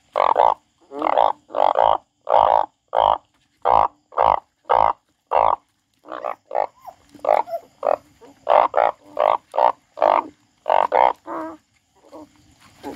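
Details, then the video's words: A frog described as crying gives loud, short, harsh croaks repeated about twice a second in a steady series, with a brief pause midway before the run resumes, less evenly. "The frog crying"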